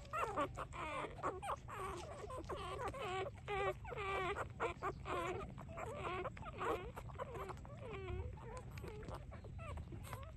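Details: Three-day-old puppies nursing, squeaking and whimpering almost continuously in short, wavering, high-pitched cries, several overlapping at once, with a low background hum throughout.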